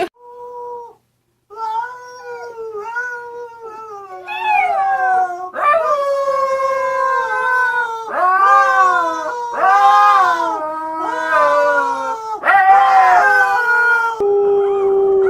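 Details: Puppies learning to howl: a series of wavering, harmonic howls, first thin and quiet, then louder and overlapping as several voices rise and bend in pitch, each lasting about one to two seconds.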